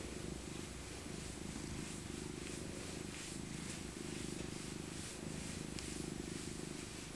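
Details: Elderly tabby cat Maca purring as she is cuddled in her winter coat: a continuous low, pulsing rumble throughout, with faint rustling of fur above.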